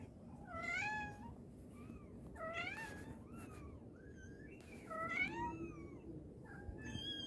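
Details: Mother cat calling her kittens: a series of rising-then-falling harmonic meows, a few long and drawn out, others short and higher-pitched, spaced about a second apart over a low, steady indoor background hum.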